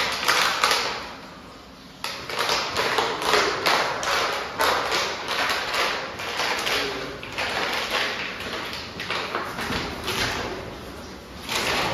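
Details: Irregular tapping and thudding, like a plastic bottle being knocked about indoors, with faint speech and a high electronic whine.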